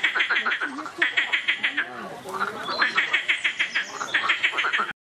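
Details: Loud frog chorus, trains of quick rattling croaks repeated about three times a second in bursts, several animals calling together, ending abruptly.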